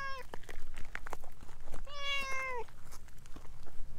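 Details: Talkative orange tabby stray cat clinging to the filmer's legs gives one long, slightly falling meow after a brief clipped start, over rustling and low background rumble.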